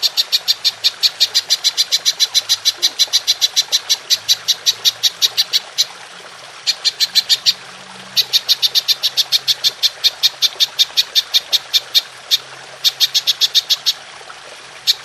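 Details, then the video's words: Belalang emas, golden grasshopper, in a clear recording meant to train songbirds: long trains of sharp, evenly spaced high pulses, about three per second, broken by short pauses before each new run. "Belalang Emas Nembak Panjang"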